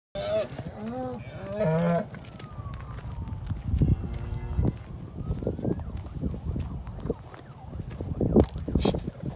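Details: Limousin bull out at grass with cows in sunshine at a farm near Penrith, UK; a short harmonic lowing call in the first two seconds, then low rumbling background noise with scattered knocks and a faint gliding tone.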